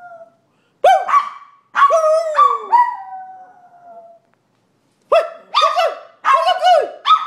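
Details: A tiny Maltipoo (Maltese-poodle cross) gives high, wavering howls on command that slide downward in pitch, broken into short bursts.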